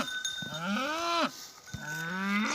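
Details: Angus bull in a Turkish village, worked up after spotting rival cattle it wants to fight. It gives two drawn-out, harmonic bellows, the first rising then sharply falling, the second long and level, over a steady ringing tone.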